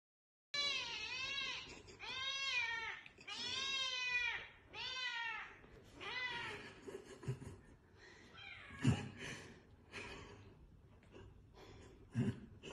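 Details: Domestic cat in an indoor room giving five loud, drawn-out meows in quick succession, each rising then falling with rich harmonics, followed by softer scattered noises and faint background chatter.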